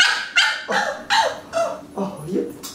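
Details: A French Bulldog puppy, female, barking at her owner during a photo session: a series of about six short, sharp yappy barks roughly every half second, high and bright, with a few quiet words in the background.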